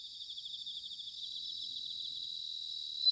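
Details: Autumn bell cricket chorus recorded in Sanuki, Chiba Prefecture: continuous high, finely pulsed trilling from several insects, rising into a brief loud ringing note at the very end.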